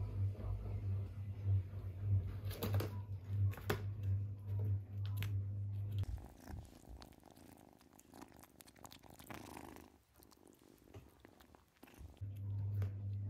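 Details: Kitten playing with its brothers around a puzzle: steady low rumbling purr for the first six seconds, then fading out under light tapping and rustling of play, and returning near the end.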